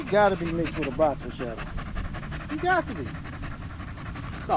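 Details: Staffordshire Bull Terrier chatting with other male dogs on a long park evening: a quick run of yodelling, wavering whines early on, another bent howl near the end, with panting throughout.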